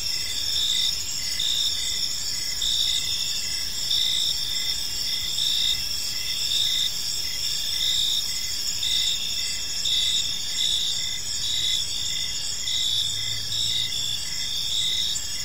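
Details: Crickets in a peaceful park as evening falls, a steady layered high-pitched trilling chorus with soft rhythmic pulses, plus a brief low hum near the end.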